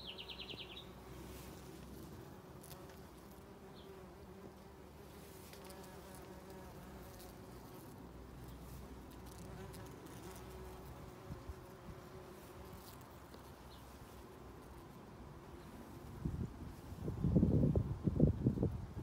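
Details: Bees, including bumblebees, working rhododendron flowers in a spring garden; a continuous low droning buzz with layered harmonics, a brief high bird chirp at the start and louder rustling bursts near the end.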